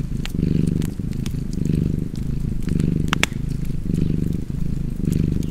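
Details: Cozy purring cat with fireplace, a rich low rumble repeating in rhythmic swells about every second, accompanied by bright clicks and pops of burning wood.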